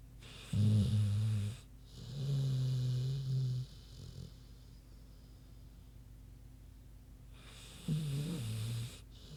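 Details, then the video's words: Sleeping pig named Queenie snoring, low rough snores on alternating breaths with a long quiet pause before a final snort-like rumble. "Big Pig Snoozin' (HD Queenie Snoring Audio)"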